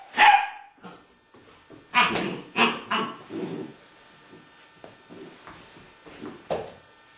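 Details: A Malinois puppy tries to get an 11-year-old American Staffordshire Terrier to play, giving a burst of sharp barks, three close together around the second mark, then softer scattered yips and a final bark.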